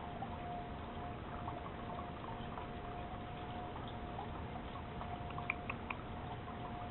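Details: Low indoor background noise with a steady electrical tone and faint scattered clicks, like trickling liquid.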